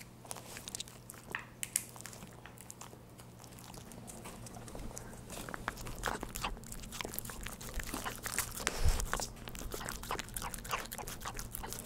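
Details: A dog in its home eating churu treats, captured as no-talking eating ASMR; rapid uneven licking clicks and moist smacking, about three or four per second, over a low steady hum in a small room.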